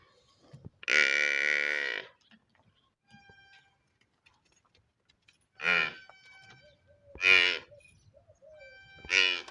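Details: Water buffalo calf bawling: one long, strong nasal call of over a second, then three shorter, sharper calls spaced a second or two apart, with near silence in between.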